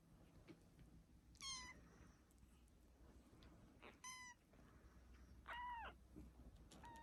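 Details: A kitten mewing three times, sharp, high-pitched and clear, the last cry longer and wavering, over a low background hum.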